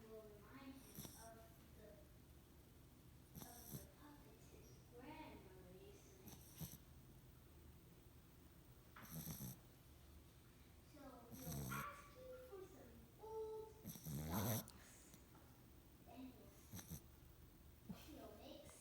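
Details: Boxer puppy asleep and snoring: a slow series of breathy, rasping snores about every two to three seconds, some with a whistling nasal edge, over a low steady background hum.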